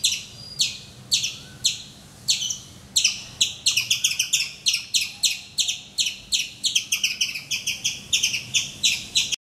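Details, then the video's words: Vociferous squirrel calling every morning from a mango tree outside a bedroom window in Calicut, Kerala, India, facing the camera: loud, sharp, high chirps, spaced about half a second apart at first, then quickening into rapid, insistent bursts. "Nature's alarm clock - my squirrel friend from Calicut, Kerala, INDIA !"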